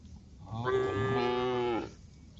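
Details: Female cow calling a herd of tame cows on a forest road: a single drawn-out moo of about one second, rich in stacked harmonics, steady then falling slightly at the end, over a quiet background.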